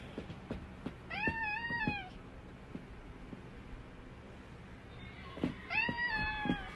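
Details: Domestic cat indoors giving two drawn-out meows about four seconds apart, each slightly rising then falling in pitch, over a steady background hiss.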